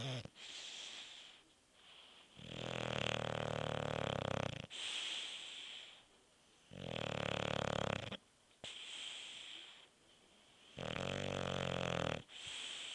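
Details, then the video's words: Sleeping bulldog named Beef, snoring in long harsh rattling pulls of about two seconds. Softer airy breaths separate them, and the cycle repeats steadily several times. "Bulldog Beef snoring"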